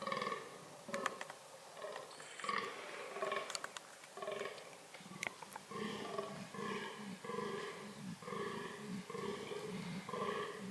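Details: Fallow deer calling during reproductive behaviour: a run of deep, hoarse belching groans in short bursts, some spaced unevenly and others coming about every half second, with scattered sharp clicks and knocks in the background.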